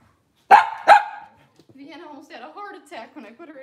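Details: Cavalier King Charles Spaniel on a kitchen camera on a cloudy Monday morning gives two sharp, loud barks in quick succession, then a person talks softly for the rest of the moment.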